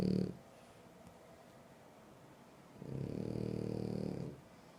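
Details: Sleeping French Bulldog gives a low, rough snore at the start, then a quiet pause, then a longer rumbling snore of about 1.5 seconds with a thin whistling overtone.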